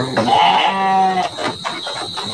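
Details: Large Garut sheep ready for the 2024 Qurban sacrifice, kept in a pen in Indonesia: one long, wavering nasal bleat lasting about a second, then clattering pen noises and a steady high-pitched background whine.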